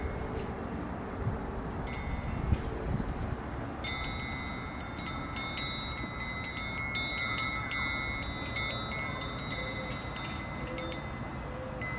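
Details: Metallic wind chimes ring in bright, repeated strikes over a steady outdoor wind rumble.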